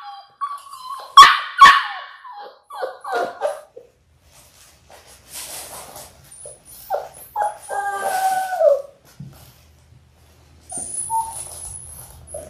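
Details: Labrador Retriever puppies in their sixth week, six littermates kept indoors: sharp yips burst out first, followed by short whimpers and a drawn-out falling whine, then quiet shuffling and a thin high tone near the end.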